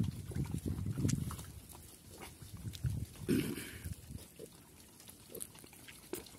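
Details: Pigs on a farm in Cambodia, locally called Chrouk Kandorl, active and running around; low, rough grunts come in irregular bursts, loudest in the first second and again near three seconds, with quieter snuffling between.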